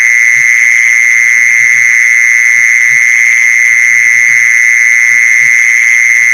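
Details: Mole cricket calling, used as a lure for mole crickets: a loud, level, ringing trill sustained without break, with scattered quiet low thuds in the background.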